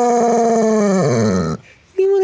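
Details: At Christmas, a male Basset Hound asked whether he wants to talk to his beloved owner gives a long, mournful howl that slowly falls in pitch, then starts again.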